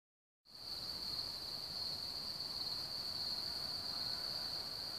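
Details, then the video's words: Crickets around Hamr near Chlum u Třeboně, Czech Republic, one of Bohemia's largest cricket populations, sing a steady, unbroken high-pitched trill over a soft hiss of background noise. "Cvrčci v Hamru kolem www.cvrcek.cz"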